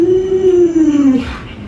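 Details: Alaskan Malamute named Luoluo vocalizing to rouse an owner who won't get out of bed: one smooth, sustained tonal moan that sags slowly in pitch over about a second, then fades.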